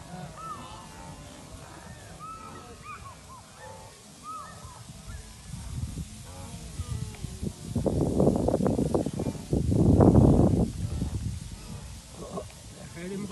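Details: Migrating wildebeest in Kenya, seen up close: a chorus of short, curving, nasal honks from many animals, then loud bursts of rushing, thudding noise that drown out the calls in the second half.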